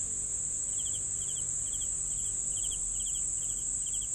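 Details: Short cricket chirps of a few clipped pulses, about two each second, sound over an unbroken very high-pitched insect whine.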